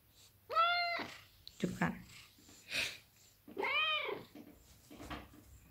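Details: A large pet Maine Coon cat gives two clear meows while being sweet and affectionate. The first is short and the second longer and arched. A woman speaks softly between the calls, and faint rustling is heard.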